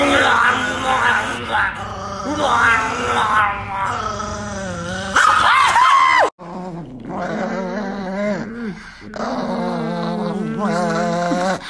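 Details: Angry pet Chihuahua named Niki growling and yipping in wavering, strained bursts, the snarling notes rising and falling repeatedly over about twelve seconds, with a person talking to the dog at the same time.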